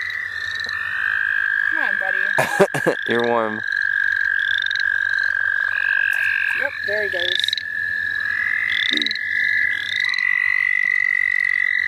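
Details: Frogs calling in chorus at St. Olaf College Natural Lands during a frog-catching outing: a steady high trill runs throughout, with short nasal pulsed calls stacked in bands, a brief voice and handling noises near the start.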